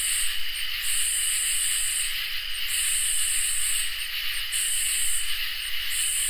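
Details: Crickets and katydids singing on a summer night: a steady, shrill high trill runs throughout, while loud buzzy bursts switch on and off about every two seconds. A soft low rumble lies underneath.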